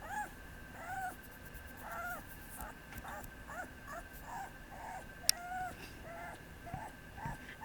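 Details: Papillon puppy giving a string of short, high whimpers and yips, some rising then falling, spaced irregularly over several seconds; a faint steady hum runs underneath and one sharp click stands out.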